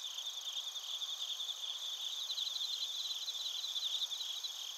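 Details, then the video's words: Softer, more distant-sounding crickets, including bell crickets, from Narita, Chiba, Japan, recorded with a TASCAM Portacapture X8; a thin, high, continuous pulsing trill over faint background hiss. "スズムシとコオロギの鳴き声 - Chirping of crickets"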